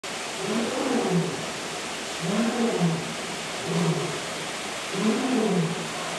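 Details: A lion at Memphis Zoo gives deep, throaty grunting roars, each lasting about a second and repeated roughly every one and a half seconds.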